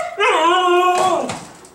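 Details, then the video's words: Indoor female Siberian husky eager to go out after a two-day move without exercise: one sustained, richly harmonic howl rising slightly then sliding down, ending in a rougher breathy tail, about one second long. "My Howling Husky Girl"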